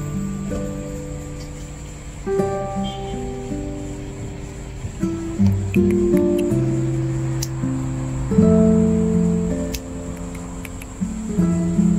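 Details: Gentle acoustic guitar music with plucked and strummed notes, and no animal sounds audible.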